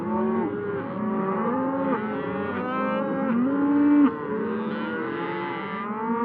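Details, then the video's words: Several cows on pasture outdoors mooing continuously, overlapping low moans that rise and fall, one louder steady drawn-out moo near the middle standing out from the herd chorus. "Sounds of cows in nature - pasture"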